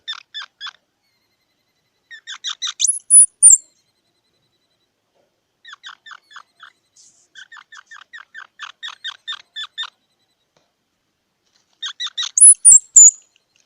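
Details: Squirrel alternating between trains of rapid, stuttering chips and short bursts of loud, high, whistled squeaks, over a silent background.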